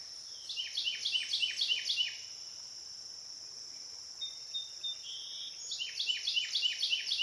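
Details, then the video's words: Licking River at Morning View, recorded from dusk to dawn: cicadas hold an unbroken high buzzing tone while bursts of fast, evenly spaced falling chirps come and go, with a quiet gap in between. "Cicada to Cicada - a 12 hour accoustical journey on the Licking River in Morning View"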